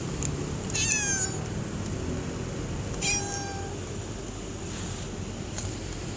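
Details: Stray cats meowing after rain: two clear rising-falling meows about two seconds apart, the second longer and sliding down, over a steady low rumble of traffic or background noise.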